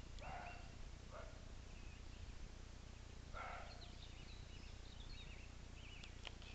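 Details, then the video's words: Roe deer barking: a hoarse bark opens, a shorter one follows, then another strong bark about two seconds later, while small birds whistle and warble in the background over low hum. "Őz ugatása"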